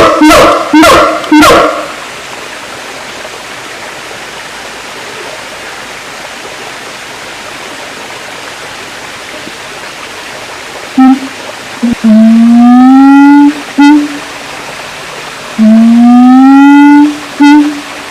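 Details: Siamang giving two long rising tonal calls with rich harmonics, each closed by brief sharp notes, preceded by a few loud broadband bursts and a long quiet pause.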